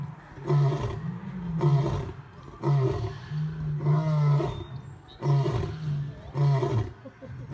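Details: Male lion giving a roaring sequence: six or so deep grunts in quick succession, roughly one per second, low and resonant, one longer drawn-out moan in the middle.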